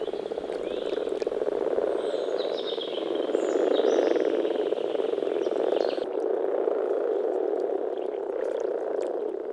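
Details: Frogs in full spring chorus at a pond in the Czech Republic, rapid overlapping croaks merging into a steady low drone, with bird whistles early on that then fall quiet.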